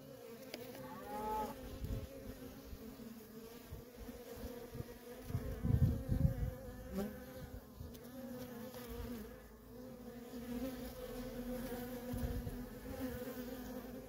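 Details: Nonstop flight traffic of worker honey bees at a feral colony: an unbroken humming drone, individual bees passing with rising and falling whines, and occasional low rumbling thumps.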